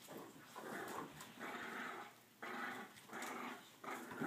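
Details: Two French Bulldogs, Bruno and Brindle, growling indoors while playing tug of war: rough, buzzy growls in rhythmic surges, about four swelling bursts in just over four seconds, with faint room noise.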